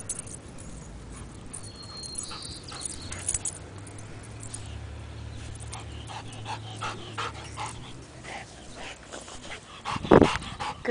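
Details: A pet dog chasing a ball outdoors, panting in soft rapid breaths over several seconds, with scattered clicks and a sharp loud burst near the end; a person speaks encouragingly just before and after.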